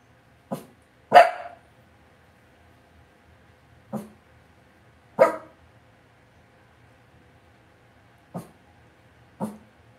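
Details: Short, yappy barks from Cavalier King Charles Spaniel puppies kept in an indoor home pen, six single yelps spaced irregularly a second to three seconds apart, one louder and fuller than the rest, in a quiet room.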